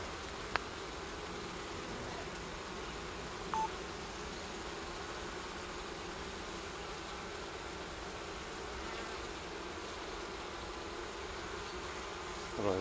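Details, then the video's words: Wild honey bee colony from a forest nest with four large combs on a fallen tree near Kiev, Ukraine, smoked and moved into a hive; steady low droning hum throughout, a few faint clicks. "Wild Honey Bee Nest Transferration From Forest Into Hive & Apiary, Kiev Ukraine"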